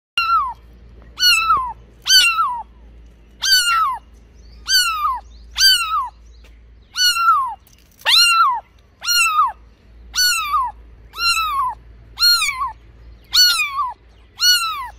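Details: Pet cats calling in a steady series of meows, each a short call that bends downward in pitch, repeated about once a second for the whole stretch, clean and close with a quiet background.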